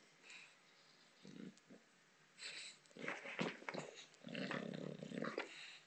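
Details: Botox, a female bulldog, playing with a soccer ball indoors: low rumbling growls in short bursts, a brief one early, then longer, rougher growling runs in the second half with snorty, breathy noise between them.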